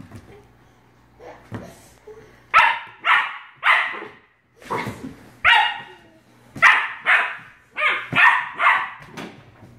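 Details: Australian Shepherd puppy barking while a bottle brush attacks it. Sharp, high yappy barks come in quick bursts, about a dozen in the second half, some doubled, over a low steady hum with a few faint voices.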